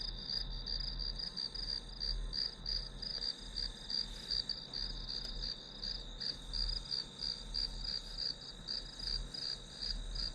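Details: Grass insects chirping as a study-session background sound: a steady high band with pulsed chirps repeating about three times a second, over a low constant hum.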